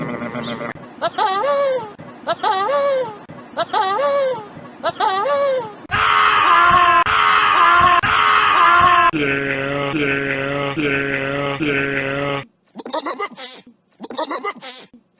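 Sheep giving a run of wavering, nasal bleats, some drawn out and strained, others short and choppy.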